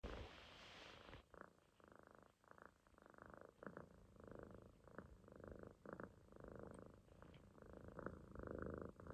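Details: Munchkin kitten sleeping relaxed in a loaf on its owner's stomach, snoring with a steady rumbling purr in rhythmic pulses after a brief rustle at the start; quiet indoor room.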